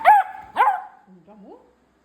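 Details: Beagle sitting on a bean bag, giving two sharp yelping whines followed by a softer rising whine.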